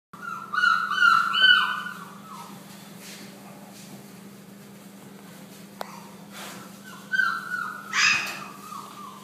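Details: West Highland White Terrier indoors, filmed 5-9-12: short pitched whining yelps in a quick cluster, a pause with a low steady hum, then another burst of whines and a sharper yelp.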